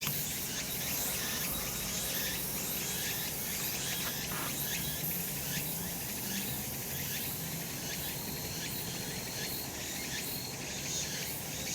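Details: Cicadas on a sunny summer mountain. A steady, dense, hissing high buzz runs without a break, with faint pulsing texture and a low background rumble.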